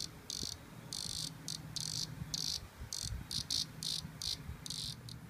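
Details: A cicada caught by a porch cat gives harsh, high buzzing bursts that start and stop irregularly, some short, some lasting half a second, with low thumps and rustling underneath.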